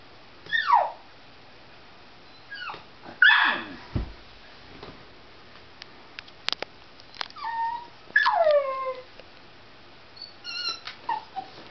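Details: A dog whining hysterically, excited over a cat outside: high descending whimpers and yips in bursts, some sliding down from about a high pitch, spaced a few seconds apart with quiet gaps, indoors.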